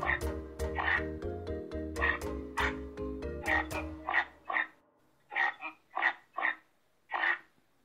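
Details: Reindeer, the animals linked to Santa's sleigh, giving short throaty grunts. Music plays under the first half, then six or seven grunts follow alone in quiet, spaced at uneven intervals of about half a second to a second.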